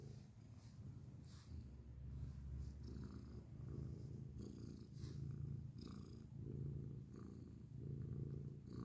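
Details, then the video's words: Grey domestic cat purring loudly at close range, a deep even rumble pulsing with its breathing about every one to one and a half seconds, plus light brushing and rustling sounds. "beautiful grey cat purrs loudly up close"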